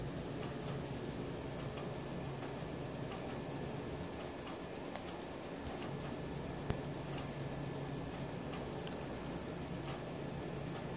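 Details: Night-time cricket sound captured with a Samsung Galaxy S4, a continuous shrill pulsed chirping at a brisk, regular rate throughout, over a soft low rumble of background noise.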